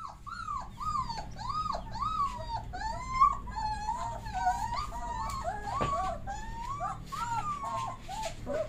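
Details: Bully Kutta puppy whimpering continuously: a run of high, arched whining notes, each rising then falling, repeated roughly twice a second with overlapping voices, over a steady low hum.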